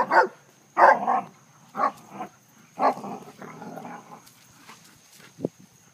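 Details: Two dogs, one a German shepherd, playing chase in a backyard; short, harsh barks come in bursts, about five in six seconds, some doubled, with softer grunting between and one brief sharp yelp near the end.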